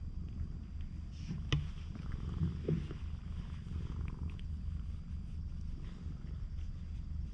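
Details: An affectionate stray cat on a cat island, captured with a GoPro HERO8, purrs in a low, even throb, punctuated by a few sharp taps or clicks around the first three seconds.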